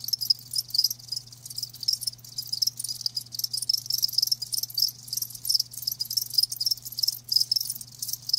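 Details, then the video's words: Crickets, live, keeping up a thick shimmering chorus of fast high-pitched chirps, pulses packed closely together and swelling slightly, with a quiet steady low hum in the background. "Live Crickets 60min "Natural Sound""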